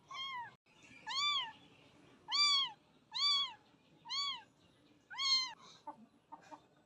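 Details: A very young pet kitten, brought home from a nearby jungle and too small to eat, so it is fed milk with a feeder; six high, arched meows, about one a second, then a few faint soft sounds.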